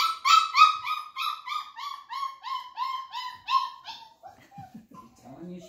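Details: Flat-Coated Retriever puppies aged 34 days during clicker training give a steady string of nasal, whining yelps at a quick even pace, slowly falling and fading, followed by softer low grunting sounds.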